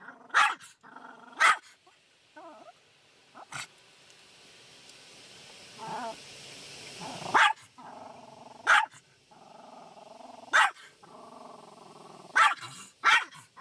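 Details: Shih Tzu named Sarah, a pet that hates the car wash, barking in sharp loud bursts roughly every one to two seconds, with quieter growly whines between barks and a hum of machinery and soft music beneath.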